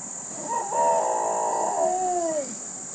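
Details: Responding to a fire siren, a female dog gives one long howl lasting about two seconds. It rises quickly, holds a wavering, harmonic-rich tone, then slides downward and fades. A constant high hiss runs underneath.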